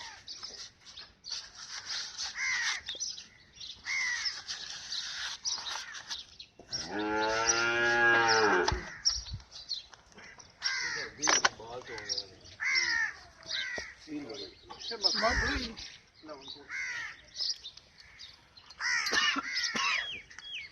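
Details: Nili-Ravi buffalo in Pakistan gives one long, drawn-out, low, harmonic-rich moo lasting about two seconds, while crows caw harshly and repeatedly before and after it, with a few brief thumps and other background noises.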